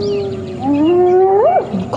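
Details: On a morning drive at Djuma Game Reserve on 11 January 2016, a spotted hyena gives a drawn-out tonal contact call that wavers low, then swoops up and falls away, while its clan attacks one individual.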